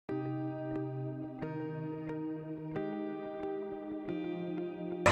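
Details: Sustained ambient synthesizer chords shift slowly in pitch, with no animal sound present. A brief burst of noise cuts in at the very end.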